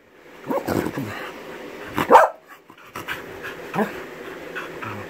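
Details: A male Norwegian Buhund "talking", giving several throaty grumbles and one louder yelping bark in the middle, followed by softer mumbling sounds, with a person talking lightly in the room.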